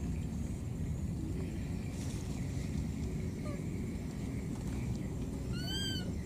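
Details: Lost baby monkey in the wild crying for its mother: a couple of faint short peeps, then at the end a loud, clear, harmonic cry that rises briefly and levels, above a continuous low rumble.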